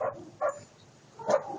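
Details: German Shepherd at home giving two short, sharp yelping barks about a second apart, each a brief bright burst with a steady tonal core, over a quiet indoor background.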